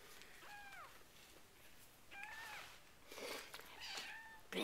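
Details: Four-week-old RagaMuffin kittens of a winter litter, indoors: high, thin mews that arch and fall, three in quick succession roughly a second apart, with a quiet human voice murmuring in the background.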